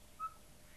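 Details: An Indian wild dog (dhole) in India gives a single brief, clear whistle, steady in pitch, against a quiet background. Pack dholes use shrill whistles to hunt cooperatively in dense vegetation when they cannot see each other.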